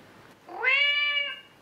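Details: Kitten's call for its mother, played back indoors as a test, to which an adult cat responds: a single clear meow that rises sharply then holds steady for nearly a second before fading.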